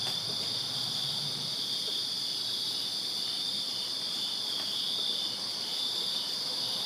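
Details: Crickets chirping in a backyard on a summer night in Virginia: a dense, steady high-pitched chorus of overlapping trills forming continuous bands, with no pauses across the whole stretch.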